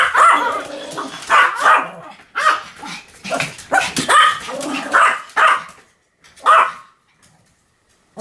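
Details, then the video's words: Pomeranian dog barking: a string of short, sharp, high yaps in uneven bursts, several close together, then a pause before one last bark near the end; quiet gaps between. "犬の鳴き声 ポメラニアン 1000回吠え Dog sound effect"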